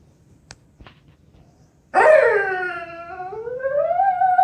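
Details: A Vizsla dog indoors gives a sudden drawn-out whine after quiet clicks, starting high and dipping, then sliding slowly upward into a long wavering, howl-like tone.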